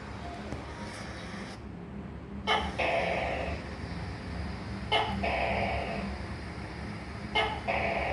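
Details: Tokay gecko giving three calls about two and a half seconds apart. Each opens with an abrupt click and then stretches into a nasal, buzzy, gently descending note. A low rumble runs underneath.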